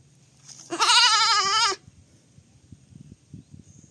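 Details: Baby goat's single wavering bleat of about one second, followed by soft scattered rustling and low noise.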